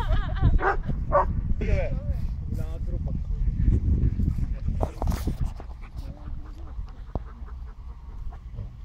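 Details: Playful dogs, Barney together with a Jack Russell and an Alabai; a burst of high, bending whimpers and yelps opens the recording, then fades into rumbling noise with scattered short yips and talking.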